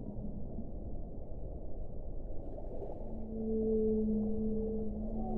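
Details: Whale voice over a constant deep hiss: a low note stirs early, then from the middle onward two sustained tones, one low and one higher, swell and hold to the end.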